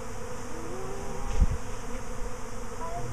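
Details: A honey bee swarm, the second in a week, hanging on a tree trunk near an empty hive box; steady low humming drone throughout, with a brief louder thump midway.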